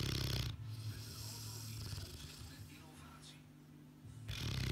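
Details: A sleeping Boerboel snores in deep, rough, low-pitched breaths, loud at the start, then a long quieter stretch of soft breathing before the loud snoring returns at the close.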